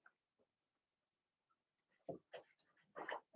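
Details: Blenheim Cavalier King Charles Spaniel puppies from a litter of six, two females and four males, whelped March 7–8, in an indoor puppy pen; after quiet faint sounds, a few loud grunting, squealing bursts come close together near the end.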